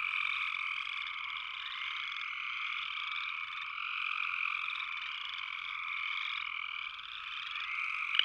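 A dense chorus of upland chorus frogs gives overlapping, high, rasping trills that blend into a steady drone.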